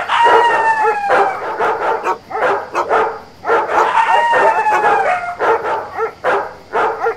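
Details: Dogs on a ranch bark in rapid, uneven bursts, with drawn-out, falling howl-like tones woven through, alongside yipping coyotes.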